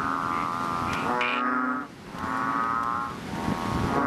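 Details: Chubby frog, also called Ox Frog, Painted Frog, Bull Frog or Bubble Frog, calling loudly in a fishpond just after rain; a long, low, droning, harmonic bellow, with a second overlapping call and a brief pause mid-clip.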